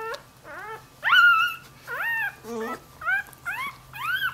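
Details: Puppy giving a run of high, whiny yelps and whimpers, each a short rising-then-falling tonal cry, about seven in four seconds, with a steady low hum underneath.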